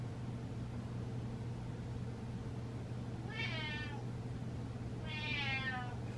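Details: Domestic cat meowing at its dancing owner at home: two separate harmonic meows about a second and a half apart, each slightly falling, with a persistent low hum beneath.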